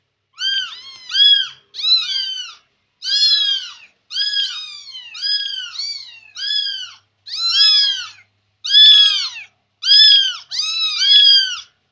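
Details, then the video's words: Chatty Persian kitten indoors, following its owner around and meowing: about nine bright, arching meows, many in quick doubled pairs, repeating roughly once a second with brief silences between. "Anak kucing persia cerewet+ngekor truss"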